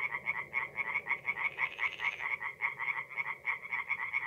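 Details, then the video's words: Singing tree frogs at a forest pond by night in April, North-East Italy, giving a steady run of quick raspy croaks against a low rumbling background hum. "relaxing forest pond by night with singing tree frogs"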